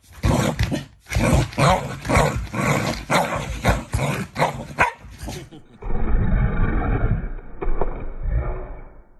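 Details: Shiba Inu, a family pet, growling as a playful show of affection toward its owners, not anger. A dense stretch of rough, pulsing bursts gives way to a steady low, noisy rumble, with a person's voice heard at times.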